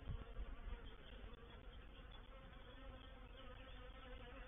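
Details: Reproductive swarm of honey bees entering a bait hive at Painted Peacock Manor, 04/07/21: a dense, continuous droning buzz with a steady layered pitch and a busy, fluttering texture throughout.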